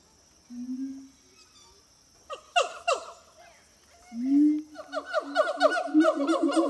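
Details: Singing siamang gibbons Harry and Mila, zoo-kept at Zoo de La Fleche, on a hot summer morning, 6 August 2018. A soft low boom opens, a few sharp shrieks follow, then a swelling boom leads into rapid repeated barking notes.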